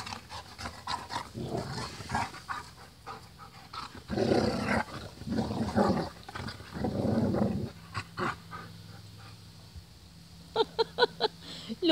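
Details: Golden Retriever at play in the garden, giving long, throaty growl-like rumbles in several sustained bursts, then a quick run of sharp clicking taps near the end; light background voices.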